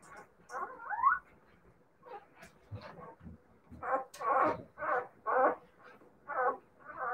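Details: Siberian Husky puppies giving a run of short whiny yelps, roughly one per second, after a squeaky rising cry and a few low soft grunts.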